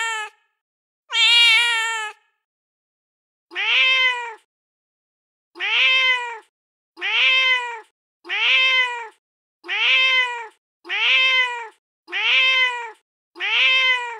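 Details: A real street cat, met on stairs in darkness and fed on a terrace, gives one long loud meow, then a steady series of eight short meows that rise and fall, roughly every 1.3 seconds.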